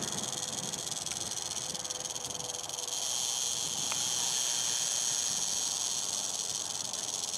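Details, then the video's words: Warning rattle of an eastern diamondback rattlesnake as people came near, recorded 2009: a continuous high, sizzling buzz that swells louder partway through and then holds steady. "Eastern Diamondback Rattlesnake Using It's Rattler"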